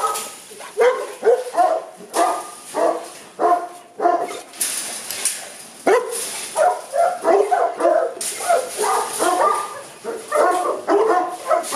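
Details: Barking Boerboels at the Aubin Boerboels kennel in Accra: bursts of rough barks from more than one dog, pausing briefly around the middle before picking up again in rapid sequence.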